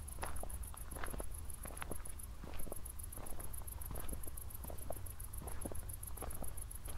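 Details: Crickets at night near Zwettl, Austria, shortly after a thunderstorm, heard on a walk: a steady, very high pulsed chirping runs throughout, with a brief gap, over crunching footsteps and a low rumble.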